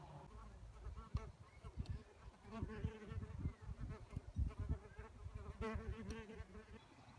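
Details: Red mason bee at a solitary bee nest box giving low, droning wing buzzes that rise and fall in irregular bursts, mixed with soft knocks and bumps throughout.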